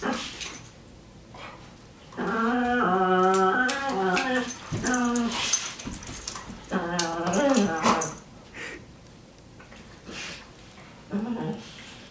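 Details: Brown pet dog making strange noises: bursts of wavering, whiny moans that rise and fall in a yodel-like way, four or five bouts separated by short pauses, with faint human voices.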